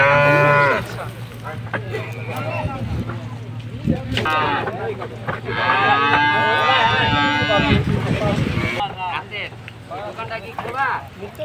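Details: ['A big Bangladeshi cow unloaded for Qurbani Eid gives a long, loud, steady moo of about two seconds, with shouting handlers, a crowd and a low engine hum at the start.']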